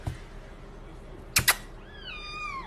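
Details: Pet cat giving a drawn-out meow that slides gently downward with rich harmonics, preceded by two sharp clicks and a soft thump in a quiet room.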